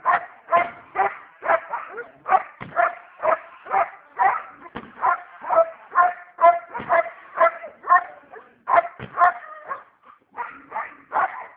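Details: Fierce pet dog barking steadily for over ten seconds: short, sharp, strongly voiced barks repeated roughly twice a second in a fairly even rhythm, nothing else audible.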